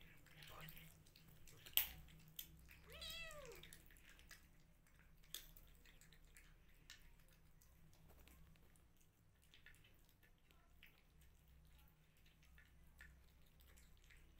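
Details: Rescue kittens indoors: a single arched meow rising then falling, with bright harmonics, near the three-second mark, preceded by sharp knocks and clicks, followed by quiet room noise with faint rustling and taps.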